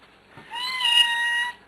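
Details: A pet cat meows indoors, one clear, drawn-out, steady-pitched meow of about one second, right after its owner asks it a question, as if answering.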